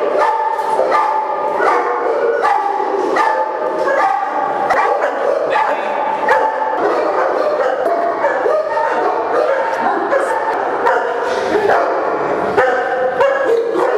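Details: Chorus of dogs at a big Indian kennel keeping St. Bernards, English Mastiffs and French Mastiffs, barking rapidly and continuously, many overlapping voices with short sharp barks every fraction of a second.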